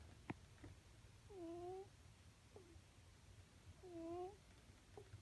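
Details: A sleeping house cat snores contentedly. A soft whistling tone sounds with each breath, about every two and a half seconds, over low room hum. Faint clicks can also be heard.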